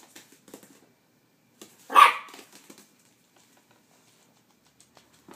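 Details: Silky-Poo dog, scared of an ice cube, lets out a single sharp bark indoors in a small room, with faint soft clicks and rustles before and after.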